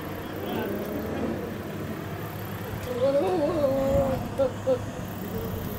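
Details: Goat at Tohoku Safari Park in Fukushima, Japan, recorded 4 August 2019: a wavering, drawn-out bleat with harmonics, followed by two short bleats, over steady vehicle rumble and background hum.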